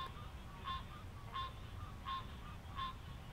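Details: A male green tree frog (Hyla cinerea) gives nasal, honking 'quonk' advertisement calls about every 0.7 seconds at sunset on July 11 in an Alexandria, Virginia marsh, as a chorus starts with green frogs' twangy calls in the background.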